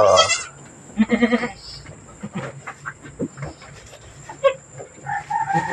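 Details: Goat on a small farm, the doe named Mama Brown, recorded around the day she gave birth to two kids. Short harmonic bleats, one quavering cry at the start and a pulsed, stuttering bleat after a second, over scattered knocks and faint rustling.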